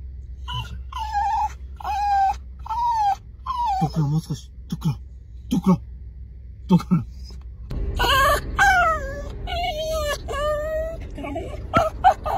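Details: Kooikerhondje excited at a dog run, giving repeated high whines that dip and rise, several in quick succession, then a burst of longer falling whines, with people talking, clapping and laughing and music in the background.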